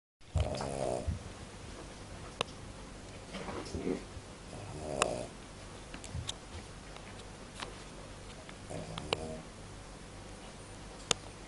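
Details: Cavalier King Charles Spaniel asleep indoors, snoring in soft, rasping, harmonic bursts that come at uneven intervals, several seconds apart, against a quiet room hiss with faint clicks.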